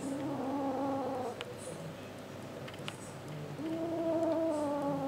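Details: Kitten Pepsi murmuring while refusing to share a sock with Max: a low, sustained harmonic drone held for over a second, a quieter gap, then a second long murmur rising slightly in pitch.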